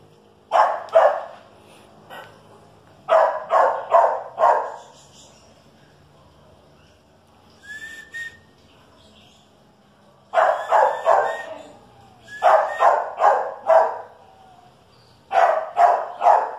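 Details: A Chihuahua and a dachshund going at each other with rapid, harsh barking in groups of three to four. A short, thin whine sits between bursts and there is a long quiet gap in the middle.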